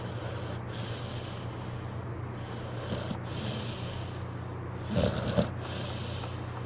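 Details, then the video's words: Pit bull dozing on a couch with quiet, hissing breaths, then one louder snorting snore near the end, all under a steady low background hum. "Adorable Snoring Pit Bull"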